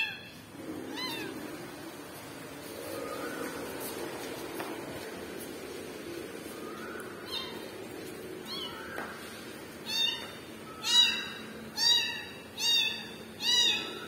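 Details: Kitten calling for its mother: faint, scattered meows at first, then five loud, high, arched cries about a second apart near the end, over a low room hum.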